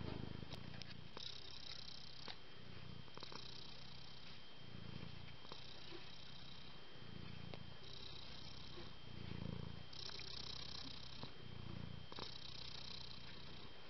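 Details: Purring from a home-raised cat family, kittens born the same day living together with their mother, all very affectionate. Steady low purr rising and falling with each breath, cycles roughly every two seconds over the whole stretch, light handling noises.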